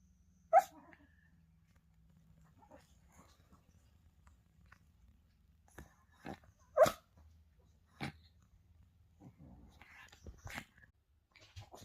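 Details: Pet Spitz barking in the morning to wake its owner, as it does every day: single sharp barks spaced several seconds apart, with softer yaps and small rustles between them in a quiet indoor room.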